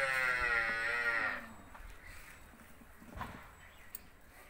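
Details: Hallikar stud bull calling: one loud, harmonic-rich bellow of about one and a half seconds, falling slightly at the end, followed by quiet background with faint knocks.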